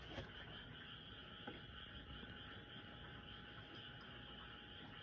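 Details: Frogs calling loudly at night near a home, a dense continuous chorus of mid-to-high croaking filling the background; a cat is said to be meowing somewhere, with a couple of faint brief clicks.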